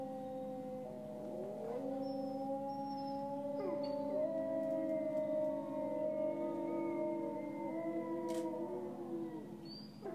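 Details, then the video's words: Grey wolves in France, recorded far from home, howl in a group: long smooth tones rise gently and hold, several voices layered at different pitches, with a few thin high squeaks. "le chant des loups"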